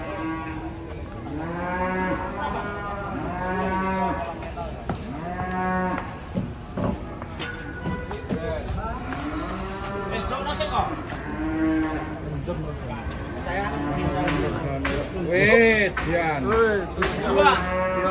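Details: Cattle unloading from a truck, lowing in long harmonic moos one after another, several animals overlapping with rising and falling pitch, with clatter and handling noise in the background.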